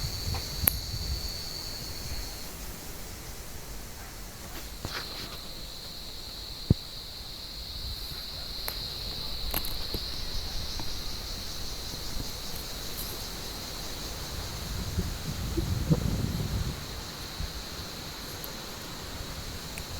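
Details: Cicadas calling in an olive tree on a warm evening as cats hunt among the branches: a softer, steady high-pitched drone that runs throughout, with scattered clicks, rustles and a low rumble beneath.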